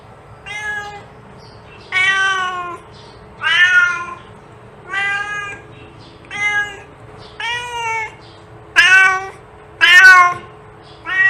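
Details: Repeated domestic cat meows intended to attract cats, nine short harmonic calls at about one per second, varying slightly in pitch and strength, with a quiet continuous hum underneath.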